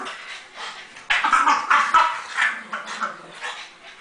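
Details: French bulldogs tugging on a rope at home. After a quiet start come bursts of rough, noisy growling and snuffling from about one to two and a half seconds, then softer scuffling, with faint room noise.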